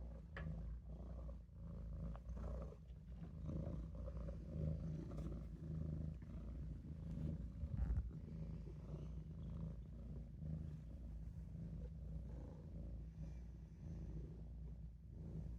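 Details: Maine Coon kitten Olof rests in the sink, purring with a low, rough, continuous rumble, broken by occasional small knocks and shifts.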